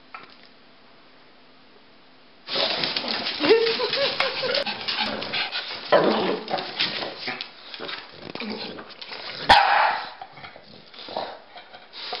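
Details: During a chase game between a Pekingese and a Bulldog named Rocky and Bully, quiet opening gives way to bursts of barking and yipping amid scuffling and thumps, with a person's voice now and then.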